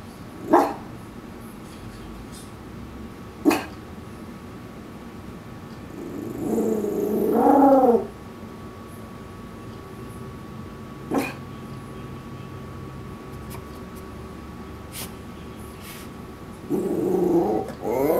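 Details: Koa, a Shih Tzu Maltese mix in the backyard, protests something outside with a couple of wobbling, throaty warbles separated by quiet stretches with sharp clicks, another brief warble closing the stretch.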